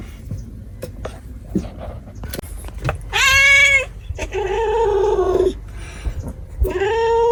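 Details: Domestic cat giving loud, drawn-out harmonic meows: one high wail around three seconds, then a longer lower plaintive cry, and another rising at the end, with quiet clicks and rustling between.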